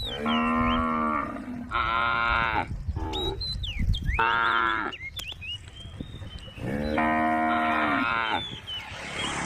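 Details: Repeated lowing from a female cow in a tame group along Jalan Kampung: four full, resonant moos, the last after a pause, with birds chirping between them.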